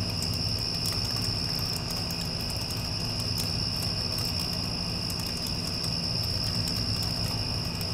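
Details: Crickets calling after a passing storm: a steady, unbroken high-pitched trill runs throughout, set over the low, constant rumble of an air conditioner.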